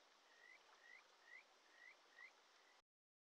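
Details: Early July by a mountain stream in Shin'etsu: a wild Kajika frog gives five short, upward-sliding whistled notes, roughly two per second, over loud, constant rushing water.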